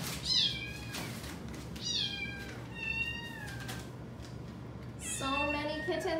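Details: Widget, an adoptable female Domestic Shorthair in rescue care, meows three times in a row, each cry bright and drawn out, then a person's voice joins in near the end, indoors, October 2020.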